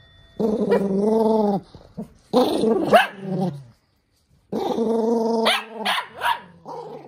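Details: Toy poodle Minato furious at wearing socks: loud sustained growls with rich harmonics, punctuated by snapping barks and snarling bursts, a brief silent gap mid-way.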